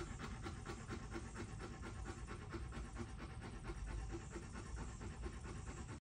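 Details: A Rottweiler pants steadily after playing, quick breathy huffs repeating several times a second.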